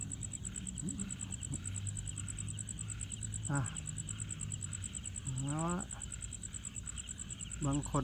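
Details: A cricket in Thailand trills in a fast, even run of high pulses by rubbing its wings together while a man talks; he suspects it may be female, as it has a long abdomen tip and no wing ring.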